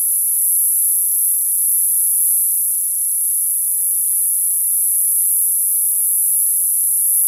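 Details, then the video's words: Summer cicada song as a sustained, sharp, high whine, level and uninterrupted from start to finish, nothing else clearly audible. "Cicada sound, cicada sounds, summer cicada sound, Sounds of the cicada"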